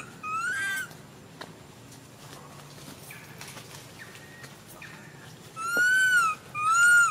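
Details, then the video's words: Baby monkey crying while its mother ignores it: clear, whining, slightly arched wails near the start and two louder ones close together at the end, with quieter short tonal calls between. "The most pity poor little monkey crying non stop when mom not care"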